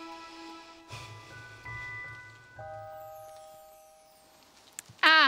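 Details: Sustained musical tones and chime-like notes fill the passage, over a low murmur of background sound. A short, bright rising-and-falling flourish closes it, and no animal voice can be picked out.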